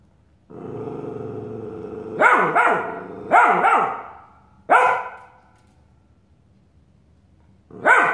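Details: Australian Shepherd puppy Nick reacting to his mirror image: a low growl rises into quick doubled barks, then a single bark and a pause before another bark at the end.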